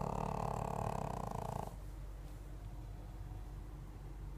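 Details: Snoring Pekingese: a buzzy, vibrating snore of about one and a half seconds that cuts off abruptly, followed by soft, quiet breathing.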